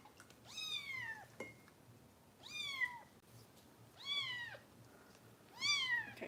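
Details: Foster kitten being bottle-fed by rescue volunteers in Los Angeles, crying in four drawn-out, harmonic-rich meows that rise then slide down, spaced roughly every one and a half seconds, in a quiet indoor room.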